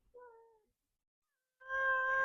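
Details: Pet cat that follows its owner through the daily routine gives a short, clear meow falling slightly in pitch. After a pause comes a louder, steady, sustained harmonic tone.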